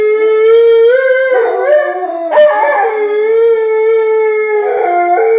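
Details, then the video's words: Alaskan Malamutes inside a house howling to announce their presence to people outside; long, steady, tonal howls that rise and bend, with overlapping voices and a brief rough break midway. "Malamutes making their presence known"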